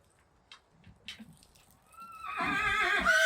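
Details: Friesian horse, a mare said to be in pain and being taken to a horse clinic; faint knocks and shuffling, then a loud harmonic whinny that rises and swells through the last second.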